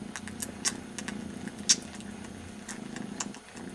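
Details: Kitten, very young, licking its brother's ear as a substitute for its mother; soft low purr beneath prominent wet licking clicks roughly once a second, one louder smack in the middle.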